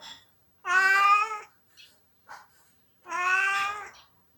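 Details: Onio, a male pet cat, cries while missing his owner who is away on vacation: two long, drawn-out wailing meows with steady harmonics, each under a second, separated by a quiet gap with a few faint small noises, indoors.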